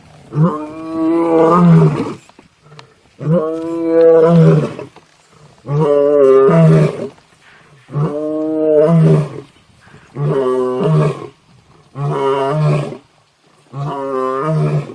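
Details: Lion roaring in a steady series of deep, throaty, harmonic grunts, each about one and a half seconds long and repeated roughly every two seconds, with short breaths between.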